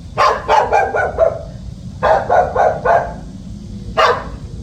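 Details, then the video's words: A house-guarding puppy lets out rapid runs of four or five quick barks, a short gap, then another run and one final bark, with faint low rumbling noise underneath. "집잘지키는 강아지"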